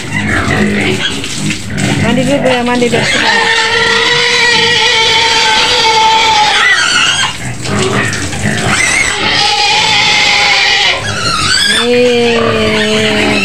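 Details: A white pig screams in its pen at the edge of Medan, Indonesia, in long steady squeals broken by short gaps and abrupt pitch jumps; human speech mixes in at the beginning.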